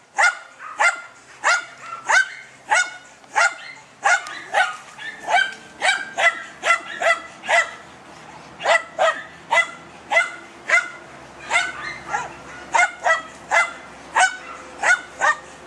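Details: Wild boar hunt with German Hunting Terrier Dunja: a long, urgent series of sharp, high yapping barks, nearly two per second, relentless and fairly even, with a faint low hum underneath.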